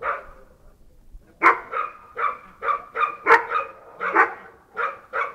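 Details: Sharp, ringing barks from a Bull Terrier barking all day, starting after a quiet second and then coming roughly every half second, about ten barks in a row.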